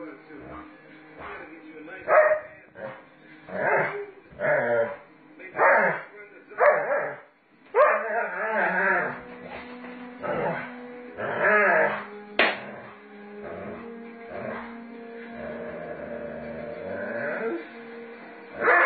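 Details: Doberman Pinscher playing roughly with its owner: a series of short, rhythmic grunting growls roughly every second, followed by longer drawn-out grumbling vocalizations and a sharp yip, with human speech alongside.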